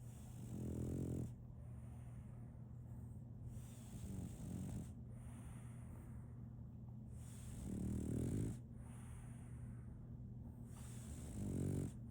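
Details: Female French Bulldog Solaimy asleep and snoring: rough, rattling snorts recurring roughly every three to four seconds, some louder than others, with a faint breathy tail and a droning low hum throughout.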